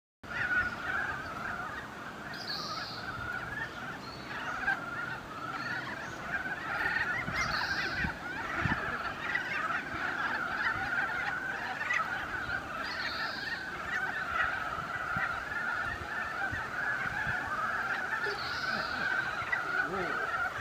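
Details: Ezo brown frogs calling in a wetland in mid-April during the breeding season. A lively, dense, unbroken chorus of bird-like clucking notes, with brighter higher bursts standing out every few seconds.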